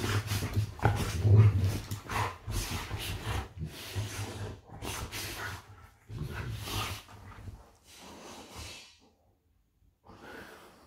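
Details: Pet golden retrievers wrestling playfully on a bed: deep, rapid grumbling growls and huffing breaths over constant rustling of sheets, fading to quiet with a final scuffle at the end.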